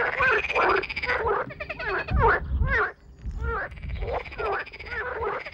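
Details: Courting frogs croaking in concert, inflating a pouch behind the head, after a man leaves: loud bursts of rattling, nasal croaks, overlapping and uneven, with short quieter breaks between bursts.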